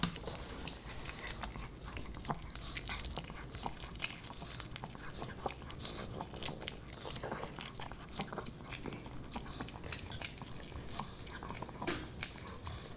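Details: Boba Bear, a Pomeranian puppy, snacks on dog-friendly fish and chips. Steady crunching and chewing fill the recording, with dense bursts of crisp bites and munching repeated throughout and no other clear sounds.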